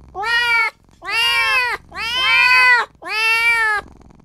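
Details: A tiny newborn kitten cries for its mother or owner, giving four drawn-out, rising-then-falling meows, about one per second.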